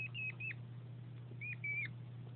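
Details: Plaintive squeaks from Winston, a male hedgehog courting the female Delilah before breeding: five thin, high, level squeaks with slightly falling ends, in two quick bursts, over a constant low hum.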